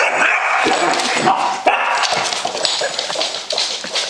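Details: A Basset Hound puppy barks while fighting a "monster": dense, harsh, continuous yapping and whining with quick bursts about two or three a second, overlapping and loud throughout, with some faint clattering behind.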